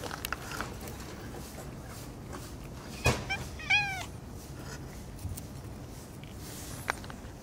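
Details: Orange tabby cat, one of a pair of brothers, that has been hiding and is seen again after half a month: a quick burst of two short, chirping meows in the middle, a sharp click just before, faint steady background hiss.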